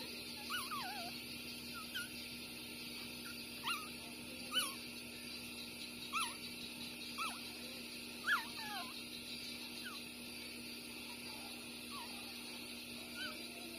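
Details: Six-day-old puppies Bob and Massy suckling, two street-dog pups born the same day. Brief squeaky whimpers and yips pop up irregularly, roughly every second or two, some rising sharply, against faint steady hiss.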